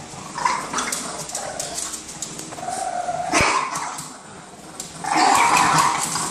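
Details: Boston Terriers fighting over an orange toy, growling in rough, noisy bursts with a few sharper bark-like yelps, the loudest near the end.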